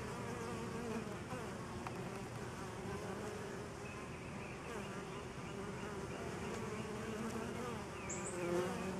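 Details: Steady droning buzz of many honey bees feeding on a pollen substitute, low and unbroken, with a faint high chirp near the end.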